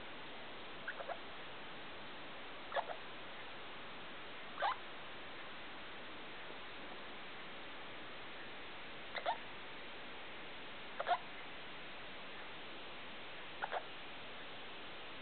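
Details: Night-time sounds from Felica, a pet degu, made at 2 a.m. indoors with the main light on: brief high chirps, often paired, recurring roughly every two seconds against a soft constant background hiss.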